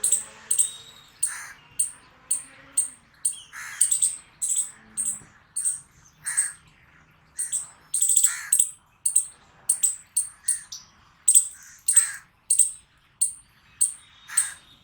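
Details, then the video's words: Squirrel barking noises: steady, repeated piercing chips, each short and sharp with a grating lower edge, coming roughly every second in a long sequence with little else audible. "Squirrel Barking Noises Sound Effect | Squirrel Making Noise Loud"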